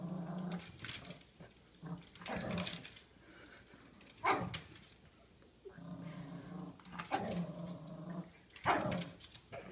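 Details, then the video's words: Pet dog in a small indoor room, agitated and fighting off a scary vase; sustained low guttural growling in long rumbling stretches, broken by sharper snarls and brief gaps. "Dog fights vase"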